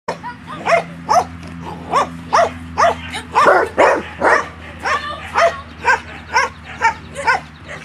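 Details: Afghan Hound during agility training, giving a steady run of short, clipped, yappy barks about twice a second, each with bright harmonics, over a low background hum.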